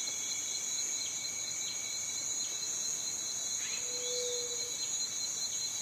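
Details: Cicada calling with an unbroken, shrill, high-pitched buzz that holds level for the whole stretch, overlaid by faint higher ticking and a brief low whistle-like tone partway through.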